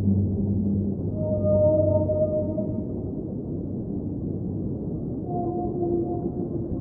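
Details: Singing whale underwater, a low sustained moan with a higher tonal overlay in the first seconds, then a fainter rising note near the end, all within a dense, hissing underwater background.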